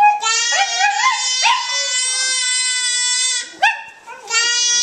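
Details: A Welsh Terrier, singing along as a baby sings and yells, howls in long, wavering tones that swoop upward and hold steady.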